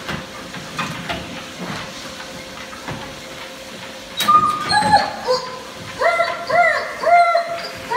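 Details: German Shepherd puppy learning to use a treadmill: after a stretch of mechanical hiss and voices, several high, wavering whines that rise and fall, each under a second long, repeated in a quick run near the end.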